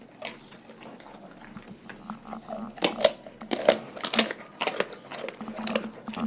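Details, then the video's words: Dogs from a household pack chewing raw food, loud crisp crunches coming in bursts about twice a second, strongest in the middle, with a faint low hum underneath. "Epic ASMR Compilation Dogs Eating Raw Food"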